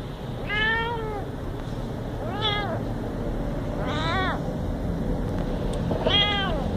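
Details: Cute little house cat producing four clear meows at irregular intervals, each a rise-and-fall wail rich in overtones, with a steady low background rumble underneath.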